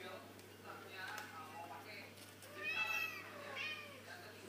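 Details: Young kittens that have just learned to walk: soft scattered mews early on, then a louder, drawn-out rising and falling meow near the end.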